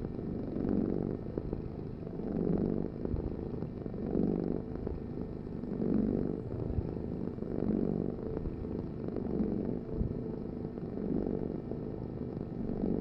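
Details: Steady purring from a cat, a deep buzzing rumble pulsing in regular breath cycles about every two seconds, inhale and exhale phases clearly alternating, with a faint constant hum underneath.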